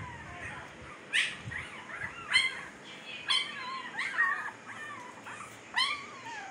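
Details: Newborn Siberian Husky pups in Pakistan, fifteen days old with blue eyes now open, whimper in a string of wavering, downward-bending cries about once a second, some nasal and drawn out.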